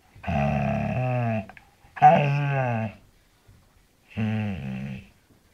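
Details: Pet bull terrier 'talking', telling its owner how it is: three drawn-out, moaning grumbles about a second each, with rich harmonics, separated by short pauses.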